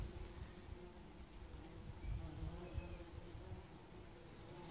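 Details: A swarm of bumblebees on a warm summer's day buzzes in a low, steady drone with a rumble of wind beneath.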